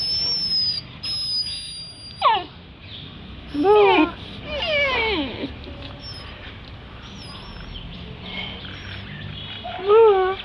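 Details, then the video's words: Puppy in Delhi making cute noises: four short, high, wavering whines, each bending up then down and spread roughly two seconds apart with a longer pause before the last, over faint background hiss and thin high tones. "Puppy making cute noises."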